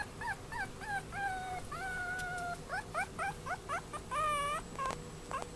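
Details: Young male Chihuahua, born 14 February 2013, at a Yokosuka pet shop in Kanagawa, Japan: short squeaky whimpers, then two long flat whining tones, followed by quick rising yips and a drawn, wavering cry near the end.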